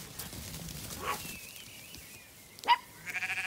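A sheep gives a short, quavering bleat at the end, after a soft rustle, a faint whistle-like tone and a sharp knock.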